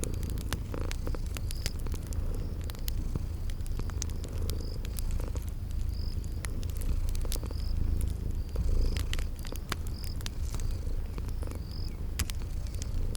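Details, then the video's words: Sleeping kitties purring beside a crackling fireplace in a spring garden ambience: a steady, deep rumbling purr runs throughout, overlaid with sharp fire crackles and short high chirps repeating every second or so. "Sleeping Purring Kitties"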